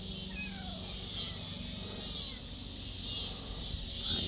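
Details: Cicadas fill a backyard with a steady, high, hissing drone that barely wavers while kittens and a Siamese mother cat drink milk nearby.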